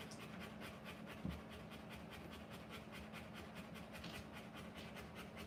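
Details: A Rottweiler in labour, giving birth to puppies, pants quickly and evenly, with short breathy bursts following one another several times a second. A soft bump sounds early on, and a low hum runs underneath.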